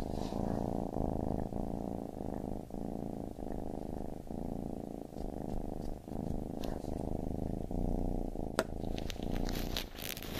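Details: Steady low purring of a baby kitten, rhythmic breathing pulses throughout, with a sharp click and some rustling near the end.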